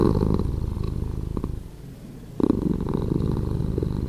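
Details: Cat purr edited to play slower, a throaty pulsing rumble that fades into a quiet lull around two seconds, then resumes strongly and evenly.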